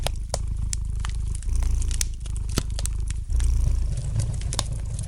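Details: Soft, rumbling purr from a pet cat, with clear breath cycles, each swell lasting one to two seconds, set against the gentle crackle and sharp pops of a fire burning in the fireplace.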